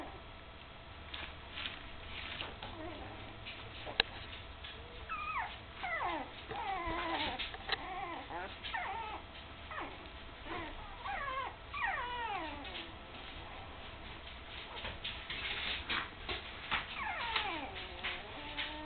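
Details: Nearly three-week-old puppies with their mother Candy, newly open-eyed and wobbling as they start to walk; a busy run of high, descending whimpers and yips overlaps throughout, several pups calling at once.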